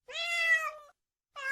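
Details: Cat meowing: a clear, steady, nasal meow held for nearly a second and tapering off, then silence before another meow begins.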